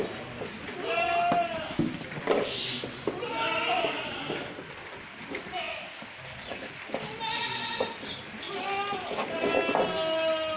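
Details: Farmed goats giving repeated wavering, nasal bleats in short bursts, several overlapping, with people talking in Bengali throughout.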